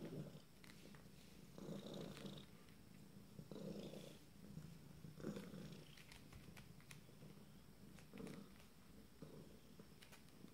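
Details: First-litter kittens at 26 days purr in a deep rumble that swells with each breath, about 36 pulses a minute, with faint clicks in a small room.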